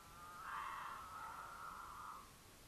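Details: A female mountain lion in heat in Utah, travelling with a male during courtship, gives a long, wailing caterwaul to attract him that swells, holds steady, then trails off.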